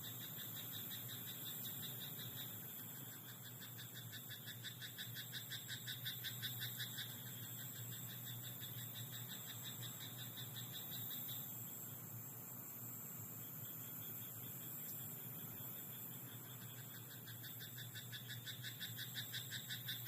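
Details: Night chorus of frogs in a rice paddy: trains of quick pulsed croaks come in bursts, loudest around five to seven seconds, then fade and return faintly, over a constant low hum and a high electrical-like tone.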